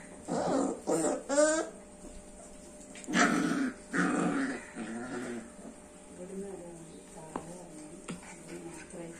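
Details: Labrador Retriever puppies: several short yelping whimpers and whines in the first four seconds, some with quavering pitch, then softer grumbling sounds and quiet small-room background.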